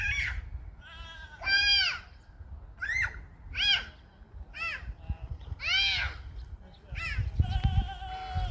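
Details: Happy goats playing in a pasture: a run of short wavering bleats, each rising then falling, coming in quick bursts about once a second, with rustling and low background noise between calls.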